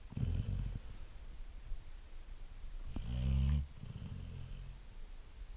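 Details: Great Dane puppy Blue asleep: two deep, grumbling snore bursts, one at the start and a louder, longer one after three seconds, with soft breathing noise between them.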